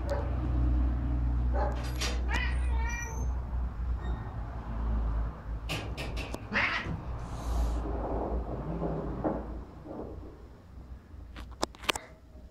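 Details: Domestic cat meowing: several short harmonic meows around the second and third seconds, then a longer drawn-out cry near six seconds, over a steady low rumbling hum with scattered clicks and knocks.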